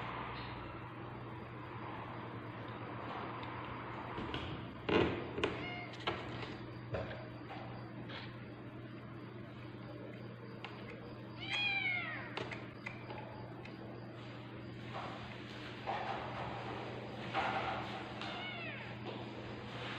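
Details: Tabby cat in labour, giving birth to kittens, with a few arching meows near the middle and end over a steady low hum, panting and rustling between calls.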